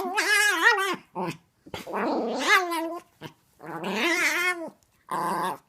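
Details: Small adult female Chihuahua making odd gremlin-like noises while playing with a six-month-old Chiweenie puppy indoors; a string of loud, wobbling, moaning growls with rising and falling pitch, separated by short gaps and a few quick grunts.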